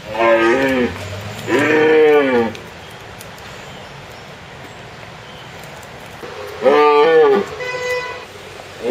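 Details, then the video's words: Red deer stag roaring in the rut, recorded 4 September 2017; about four loud, harmonic bellowing roars, each roughly one second long and rising then falling. Long quiet gaps between them, with a higher tonal note near the end. "Red deer - Cervus elaphus - Rika evropskog jelena"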